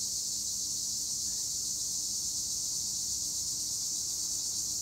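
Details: Steady, piercing high drone of tree crickets (Acheta assimilis) in olive trees, Edremit, Turkey, even and uninterrupted throughout, with a faint low hum beneath.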